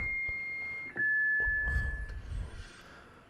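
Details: A sustained electronic beep holds one pitch, then drops slightly and continues, like a device tone. Light knocks and rustling handling noises sound in an indoor room, and no animal is heard.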